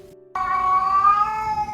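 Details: Orange male domestic cat, once shy and silent after neglect and illness, now very vocal indoors: one long, steady, tonal meow lasting over a second, slightly rising then level, preceded by a brief quiet pause.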